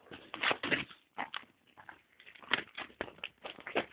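A Belgian Malinois gives a run of short, sharp, yelping barks and whines, indoors.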